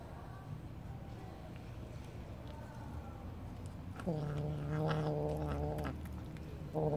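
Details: Kitten hiding under a car, meowing to signal that it is there; after quiet rustling, a long drawn-out harmonic meow starts at about four seconds and lasts nearly two seconds, with a second meow beginning at the very end.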